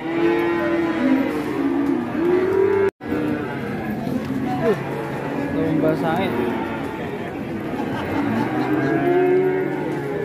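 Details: Sacrificial qurban cow rampaging as it comes down off a truck at Siyono Harjo market: long, low, drawn-out moos, several in a row with wavering pitch, over a busy background of crowd noise and a brief dropout near three seconds.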